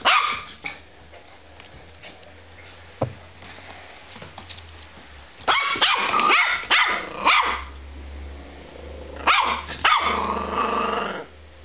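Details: Pippy, a playful Border Terrier puppy indoors, lets out a few isolated barks, then two rapid volleys of loud, harsh yapping barks later on, with a low steady hum beneath and a person calling her earlier.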